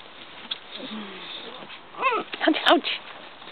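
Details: Basset Hound puppies, eager and interested as visitors arrive, give a short soft whimper followed by a quick cluster of high, arching whining yelps near the end; a human voice murmurs in the background outdoors.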